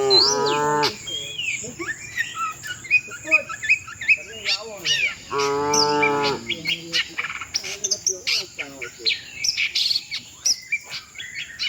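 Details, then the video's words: Herd of tame cattle on the way to the shed, two mooing calls, one short at the start and one longer mid-way, while many birds chirp and twitter throughout and an insect hums high and steady. "suara sapi moo"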